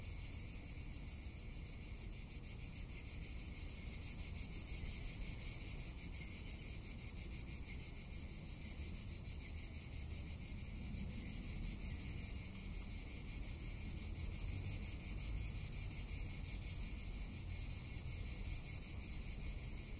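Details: Cicada singing in Tuscany in summer, an unbroken, sizzling high buzz with fast, even pulsing for twenty seconds, over constant low wind noise.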